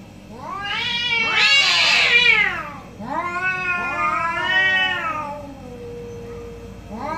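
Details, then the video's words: Two orange cats argue in the morning with long, wavering caterwauls, a strained, raspy peak early, then a sustained rising-falling wail and a low drawn tone, another cry starting at the end. "2 Orange Cat Morning Debate"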